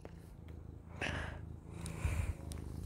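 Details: Russian Blue cat purring while kneading its owner, a low steady rumbling purr close up, with bursts of heavy human breathing and rustling over it.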